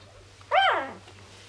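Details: Dobermann puppy only a day old, a female from Tessa's new litter of eight, giving a single sharp, rising-then-falling squeal lasting about half a second indoors, with a low electrical hum beneath.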